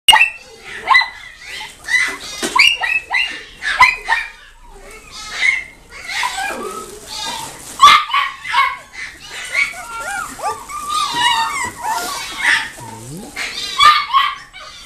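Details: Chiweenie at a pet shop in Nagoya, Japan, giving a busy run of high, thin yips and whines in short bursts, some sliding up and down, with a person's voice heard between calls.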